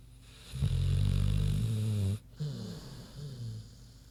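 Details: Queenie, a large pig, snoring in her sleep: a deep, vibrating drawn-out snore of about a second and a half, then gentler rumbling breaths.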